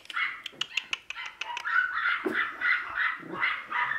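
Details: Two playful Wire Fox Terrier brothers at a pet shop in Nara, Japan, giving rapid, high-pitched yips and whining barks in a continuous excited stream, with sharp clicks and knocks early on.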